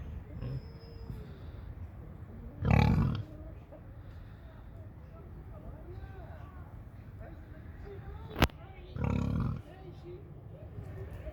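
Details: A burly, large pig on a farm gives two deep, harsh grunts several seconds apart over a low background murmur.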